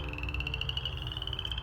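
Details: Western chorus frogs call at an ephemeral wetland pool on a spring evening, a male with throat puffed out, giving a steady, rapid trill of high, clicky pulses, a breeding chorus that draws mates.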